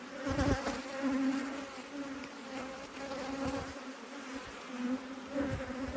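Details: Honey bees in an apiary being inspected by a beekeeper: a steady, droning hum holds two even pitch bands throughout, swelling slightly at moments, with a few soft knocks and rustles underneath.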